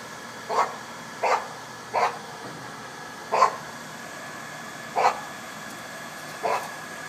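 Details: Rothko, a Boston Terrier at doggie daycare, barking and growling in play with a companion dog; seven sharp, even barks, spaced roughly one second apart, against a low background hum.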